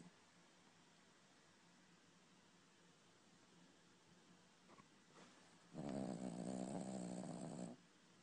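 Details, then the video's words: Snoring dog in its sleep: after several seconds of quiet room hiss and faint shuffling, a single loud rattling snore lasts about two seconds. "Horlayan Köpek - Snoring Dog"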